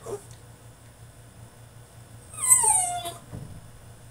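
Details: French Bulldog confined in his cage during a tantrum: mostly quiet, then a single thin whine sliding downward in pitch, followed by a faint clipped sound.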